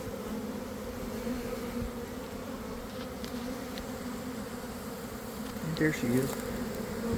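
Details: Honey bee swarm forming as it leaves a garden hive around one in the afternoon, on warm weather after a week of cold and damp: a steady, dense low hum with a second layer just above, and a brief human voice near the end.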